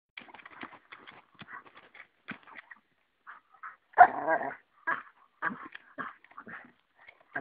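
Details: Pet Dalmatian brawling with a stick slightly too big for it, giving short rough growling and grunting bursts in a scattered series, with one longer, louder growl midway and softer snuffling between them.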